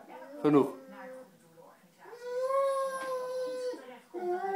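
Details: A Dogo Argentino described as in love, giving a long, tonal whining howl that rises slightly and holds steady, preceded by short whimpers and followed by a renewed higher whine.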